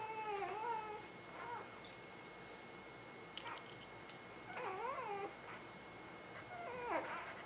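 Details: Newborn pups from the Ava Jericho spring 2017 litter cry in a few separate bursts: short, sharply bending squeals and whines spaced by quiet gaps, over low room hiss and a constant faint high tone.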